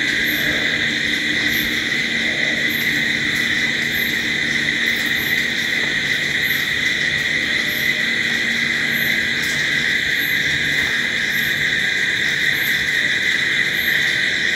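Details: Night crickets in a thick, continuous chorus, shrill steady tones throughout, topped by a very high brief pulse recurring roughly every second, with faint low background noise.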